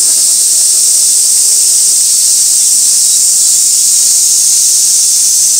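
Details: Cicada chorus on Gaikotsu Mountain, 2 August 2024, fixed camera beside an old sawtooth oak crowded with flower chafers: an unbroken shrill, hissing drone high in pitch, even in loudness throughout.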